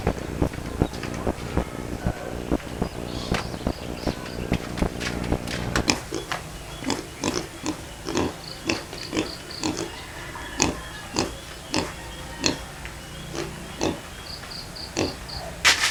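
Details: Two native pigs at feeding time, kept alongside native chickens: rhythmic grunting and chomping pulses about twice a second, steadier after six seconds, with faint high chick chirps and a low background hum.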